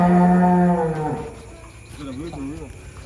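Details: One of four giant cattle loaded onto a truck until midnight gives a loud, deep, steady moo lasting about a second that drops off at its end, followed by a quieter wavering, wobbling lowing over low background rumble.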